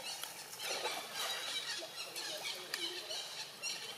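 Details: Baby macaque Rex in Siem Reap Province squeals after nearly drowning while his mother Rose swims; shrill, broken cries at moderate pitch over a steady noisy wash of water and outdoor background.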